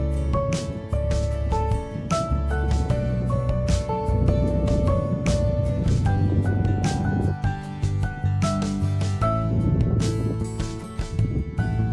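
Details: Soft melodic background music with sustained tones and gentle percussion, no animal sound heard.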